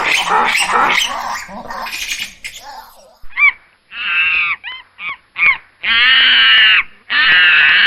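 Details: Squirrel monkey calls: a noisy, rumbling start, then a few short high chirps, followed by longer shrill, harsh squealing calls near the end.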